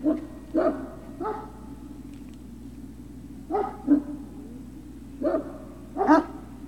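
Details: Great Dane puppy at Puppy Hill on 03-06-2019, late afternoon: sharp, ringing barks in pairs and singles with long quiet gaps between bursts, over a faint background hum.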